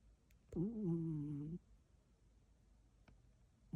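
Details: Elderly pet cat named Huinyeoul snoring indoors: one drawn-out, wavering low groan lasting about a second, tonal with layered overtones, then quiet room hiss and a faint click.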